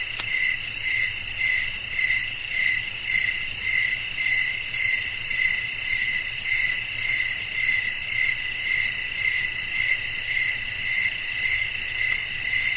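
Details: Nighttime crickets in a restful nature scene with wind. Rapid, even high chirps pulse close to twice a second across the whole stretch, backed by a dense continuous shimmer of insect sound.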